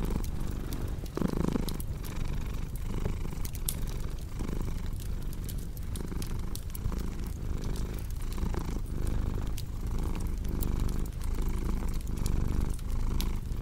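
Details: Continuous low purr from a house cat, its rhythmic rumble rising and falling about every second, with a brief louder swell early on and fireplace crackles snapping throughout.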